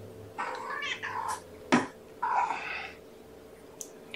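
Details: Hungry kitten Amber of Gamora's Infinity litter being fed by syringe at breakfast, 2018-05-07. Short, hoarse, smeared mewing calls, with a sharp click and handling noise between them.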